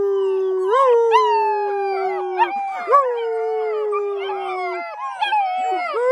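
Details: Howling chorus from a kennel litter of ten black German Shepherd puppies, set off by whistling after their evening meal; sustained, gently falling notes several seconds long, overlapping higher yips and quavers from other pups.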